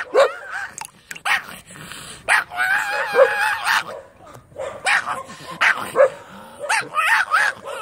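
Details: Excited dog yelps in sharp bursts, including a drawn-out wavering whine near the middle, then more clipped, high barks spaced irregularly.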